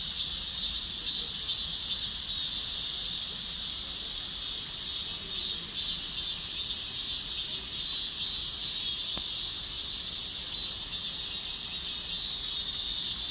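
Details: Massed cicadas in chorus, a constant piercing buzz with rapid pulsing that swells and eases slightly every few seconds, sustained over the whole stretch.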